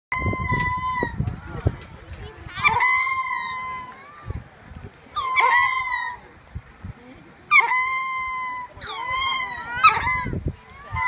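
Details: Male ring-tailed lemurs on exhibit at a wildlife park call out to females and babies housed next door, whose replies can be heard; loud wailing cries with steady tones and wavering overtones come in bursts about every two to three seconds.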